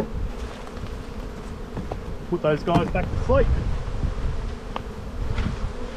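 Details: Honey bee colony in spring buildup, inspected in the bee yard: a dense low buzzing hum fills the recording, briefly overlaid by a short spoken phrase midway.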